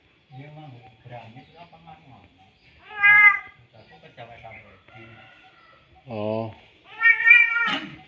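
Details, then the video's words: Male domestic cat calling a female with two loud, drawn-out harmonic meows near the middle and end, while a man speaks quietly in the background throughout. "Suara kucing jantan memanggil kucing betina"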